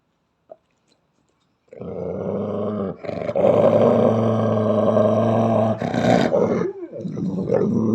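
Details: Belgian Malinois, a female Belgian Shepherd, growling angrily without provocation: after a second and a half of near silence comes a long, rough, low harmonic growl lasting about four seconds, with brief breaks near three and six seconds.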